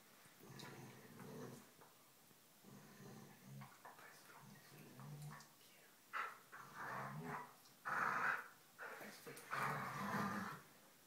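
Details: Two dogs at play, smaller black dog Polo with his foster sister, play-growling and showing teeth; low rumbling growls in bursts, louder snarling bursts in the second half, with faint voices.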